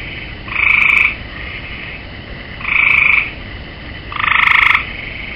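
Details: Gray tree frog sitting on the rail of a swimming pool, giving three short pulsed musical trills, each about half a second long and separated by pauses of one to two seconds, over a steady faint background hiss.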